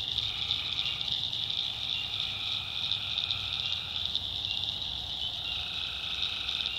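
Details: Tree frogs calling at night in a swamp in the backwoods of North Carolina: low trilled notes about a second long with a higher overtone, over a steady high shrill of insects and frogs.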